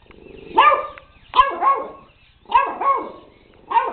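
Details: Pet puppy JJ barks at a robot dog with roughly six short, high, clipped yaps, mostly in doublets, at an uneven pace.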